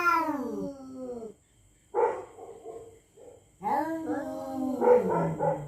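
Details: Territorial cats threatening each other at night: long drawn-out harmonic yowls that sag in pitch, a pause, a short nasal moan, then swelling wails that rise and fall, with a second voice overlapping near the end.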